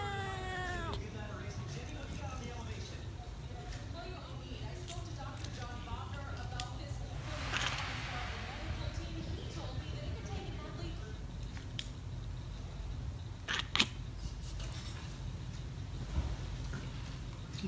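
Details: Talkative house cat giving a falling, drawn-out meow at the start, followed by several seconds of soft harmonic vocalising mixed with voices and low room hum.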